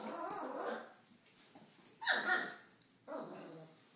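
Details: Red rust Doberman Pinscher puppies, 28 days old, some following their owner indoors; a short whine, then a sharp higher yelp at about two seconds and another brief yelp a second later, over soft background noise.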